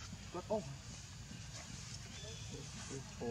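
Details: Baby monkey Leo, hungry and begging its mother for milk, gives short arched, harmonic cries, one loud squeal near the start, then softer repeats about every half second, over a steady low rumble.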